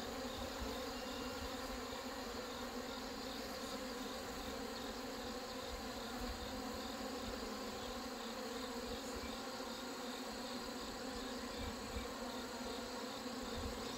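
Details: Many honey bees at hives in a mountain area troubled by hornets, feeding on sugar water during colony merging; a long, dense, even buzzing drone with stacked overtones, faint brief clicks here and there, and steady hiss.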